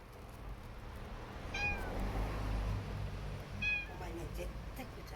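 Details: Domestic cat belonging to an eel shop owner, recorded outdoors at night on her premises on June 23: two high, falling meows about two seconds apart over a steady low rumble.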